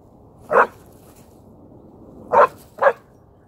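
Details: Barking from a German Shorthaired Pointer at a dog park, where a pit bull keeps barking at the pointer dogs: three short, sharp woofs, one near the start and a quick pair about two seconds later, over a quiet background.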